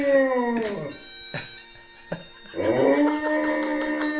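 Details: Pet dog Rudy howls to bagpipes playing Amazing Grace; a falling howl ends, brief sharp sounds follow, then a new sustained howl rises and holds over the steady bagpipe drone.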